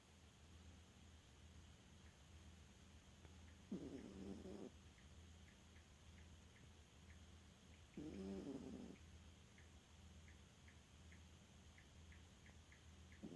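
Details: Elfa, a sleeping dog who loves to nap and sometimes snores, gives two rasping, harmonic snores about four seconds apart, each under a second long, over a steady low hum and faint regular ticking.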